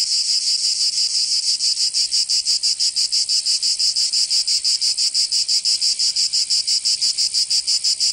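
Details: Cicadas singing in summer in Provence, southern France: a dense, high buzzing drone pulsing rapidly and steadily, about three beats per second, with no other sounds.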